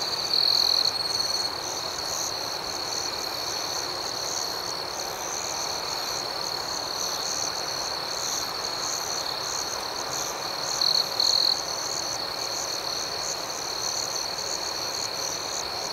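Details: At night, many crickets sustain a bright, even ringing trill with steady pulses, while a louder nearby chirp sounds briefly at the opening and again around eleven seconds.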